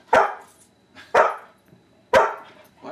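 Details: Husky and yellow Labrador dogs barking during puppy training at Christmas 2010, a person repeatedly saying 'speak'; three loud, deep, harsh barks about one second apart, with a fourth starting at the end.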